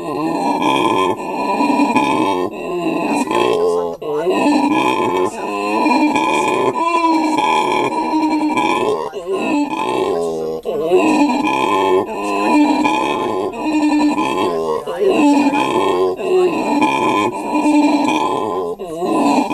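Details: Captive howler monkeys at Monkeyland, South Africa: an adult male calls as if in conversation while his mate and young hang nearby. Continuous deep, rasping, wavering grunts with rich harmonics, broken by brief pauses, close and loud.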